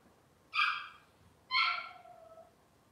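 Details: Cavalier King Charles Spaniel puppies of Robin's litter, filmed indoors on a kitchen cam, making two high whining cries, the second trailing off into a long falling whine.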